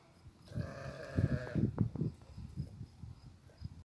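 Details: Fat goats, with one drawn-out, nasal bleat lasting about a second near the start, set against low thumping and rumbling noises that continue through the rest of the recording.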